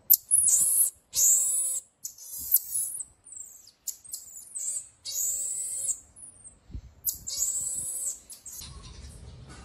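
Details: Pygmy marmoset giving high-pitched, whistled chirps and short tonal calls in bursts, several at the start, then more spaced notes, with quieter fragments between and a faint rustle near the end.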